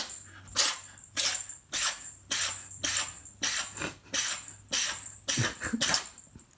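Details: Newly arrived pet cat Win, sneezing and with a runny nose, possibly from allergy, spring 2021; a rapid series of about nine sharp, breathy bursts over six seconds, roughly one every 0.6 seconds, over a faint low hum indoors.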